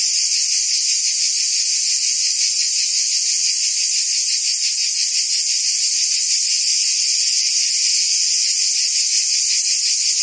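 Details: Cricket and insect chorus: steady, high, buzzy trilling that pulses nearly three times a second without a break, and no other sounds.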